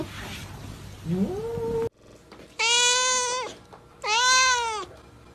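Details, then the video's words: Kitten giving two clear arched meows about a second apart, each swelling then falling away, after a soft rising whine over a hissy background. "Cute kitten Meow Meow Sound Effects"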